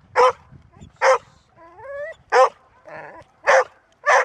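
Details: Female Golden Retriever barking sharply, with a thin rising whine and a short growly whimper between the barks. She is described as barking only when she must, but then enduringly.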